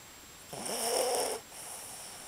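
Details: Capi, a dog, snores while sleeping: a single rough, breathy snore lasting about one second, with steady faint background hiss.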